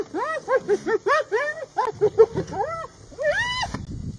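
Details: Hyena clan confronting a lioness in Masai Mara: a fast series of arched, rising-then-falling nasal yelps, about ten in under three seconds, followed by a few longer drawn-out wavering cries and a short quiet gap.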